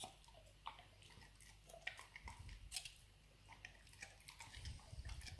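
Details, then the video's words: Pet Labrador named Nero working on a dried beef rawhide bone in a small room, producing scattered crackling bites and soft squelching gnaws with low thumps from his jaw and the bone. "ASMR Dog chewing bone"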